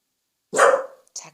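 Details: Welsh Corgi inside a home, urged by family to bark quietly, gives one strong, harsh bark of about half a second, followed by a short softer sound.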